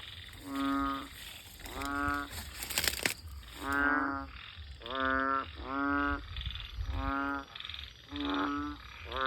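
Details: Banded bullfrogs near a house, calling through the night after heavy evening rain: deep nasal, buzzing croaks roughly every second, several frogs overlapping, one brief crackling noise early on, and a faint high insect whine throughout.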